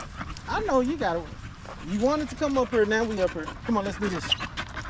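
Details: Male Staffordshire Bull Terrier in a park on a long evening, chatting with other male dogs: a run of wavering, rising-and-falling whines and yodel-like moans, several in close succession with short pauses, over faint outdoor background noise.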